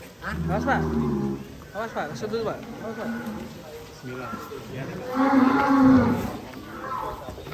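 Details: Belgian Blue cattle at an extreme-class cattle contest at Bintang Tani Farm, Indonesia, giving deep harmonic moos, a long low call opening and shorter lowing following, with people talking nearby.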